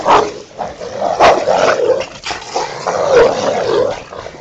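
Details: Two pet Rottweilers, Ceffy and Oscar, playing and fighting over their toy in a back yard; rough, mid-pitched growls and gruff vocal bursts come in uneven surges, about every two seconds, with short breaks between.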